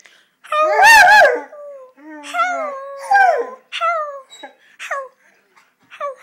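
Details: Young Rottweiler, seven months old, howling at home, reportedly angry with its owner: one strong quavering howl, then a run of shorter, whimpering, falling yelps and howls spaced roughly every half second.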